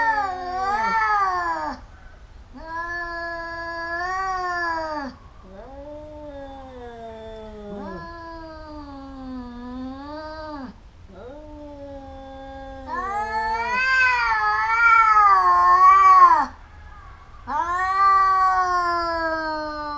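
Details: Two domestic cats in a fight, a pair that bites each other again and again: a sequence of arched, wavering yowls, some rising then falling, swelling to a loud harsh climax near the end before another howl.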